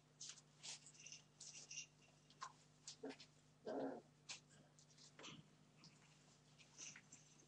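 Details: Puppies, 31 days old, being naughty indoors: one short, harsh yap or growl rises near the middle, amid scattered chewing, scuffling and clicking noises over a steady low hum.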